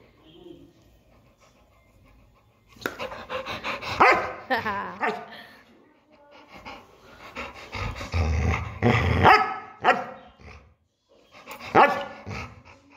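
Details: Labrador Retriever barking in short bursts with panting and growly, noisy vocalizations, irregular bouts separated by quiet pauses; human speech also present.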